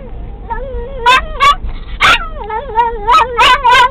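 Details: Excited singing from Pixie, a pet dog riding in a VW Beetle as the car gets going: looping, wavering whines punctuated by about six loud, sharp, turkey-like gobbling yelps over a low road rumble.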